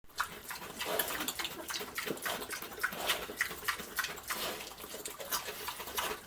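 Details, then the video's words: Pig eating slop, snorting and munching. Dense, wet, broadband bursts come in quick irregular succession, with smacking and slurping throughout and no other animals heard. "Pig Feast: Snorting, Munching, and Burping Through a Colorful Mountain of Slop!"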